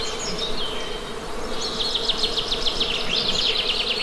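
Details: Even low drone of buzzing honey bees beneath a loud, fast bird trill that repeats rapidly in the second half, with a soft airy background hiss.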